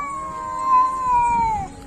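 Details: Cat giving a long drawn-out meow, a steady tone that slides slowly downward over about a second and a half before fading, with faint background hiss.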